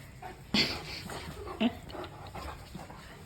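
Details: Mastiff puppy in rough play with a boy, mouthing him like a chew toy; two sharp, loud yelps about a second apart, then quieter scuffling and a low household background.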